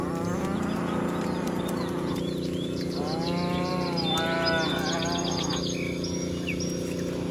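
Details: Dozens of cows being herded in a meadow; overlapping moderate moos in the middle, partly masked by steady low hum and background noise, with scattered high bird chirps.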